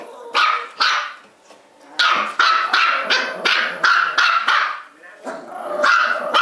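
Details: Bichon Poo Trixie and Maltipoo Sophie, two female house dogs, keep up relentless barking: clustered high-pitched yaps in rapid bursts, a brief lull after the opening pair, then a dense run of barks resuming.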